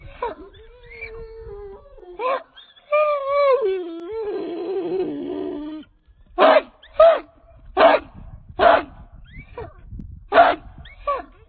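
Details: A 66-pound American Pit Bull Terrier of Redboy Jocko breeding, chained, starts with drawn-out falling whines and a long wavering howl-like cry, then breaks into a run of short, loud barks.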